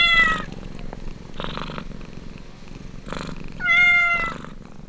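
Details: Purring kitten at its mother's side during suckling. The pulsing purr rises and falls in bursts, with a sharp high mew at the start and another loud sustained mew near the end.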